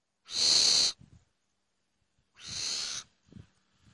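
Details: A mongoose, trapped in a forest and being freed by a young man in India, gives two harsh, breathy hisses, each under a second, with faint low thumps between.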